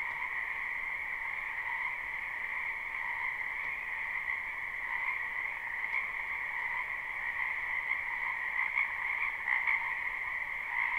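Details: Live spring recording of a frog chorus in a wetland behind a house, not looped: a constant layered trilling in two pitch bands, with a few sharper individual calls standing out toward the end.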